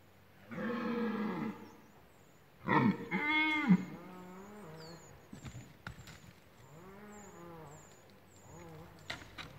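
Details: Red deer stag in rut bellowing at OHZ Lądek Zdrój forest district, Poland: a long loud roar, then a stronger roar breaking into a series of grunting pulses, and later quieter groaning calls, with bird chirps high above.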